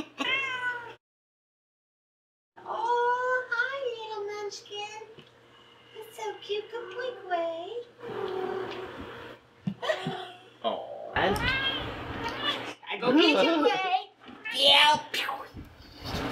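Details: Manx cats and kittens playing indoors in front of a green screen; several drawn-out, wavering meows rise and fall, mixed with people talking, cooing and laughing nearby.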